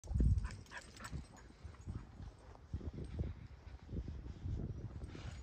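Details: Kumo, a fluffy Keeshond, reacts eagerly to a cat in the neighbor's yard with low, rough huffing and snuffling bursts that come in uneven pulses, a loud one at the start, then softer grumbles throughout.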